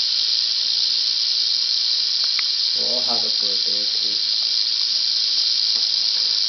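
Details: Angry female Southern Pacific rattlesnake (Crotalus oreganus helleri), caught on asphalt near Whitewater, California, about 30 minutes after sunset at roughly 85°F; a steady, high, hissing rattle buzz runs unbroken throughout, with a brief human voice near the middle.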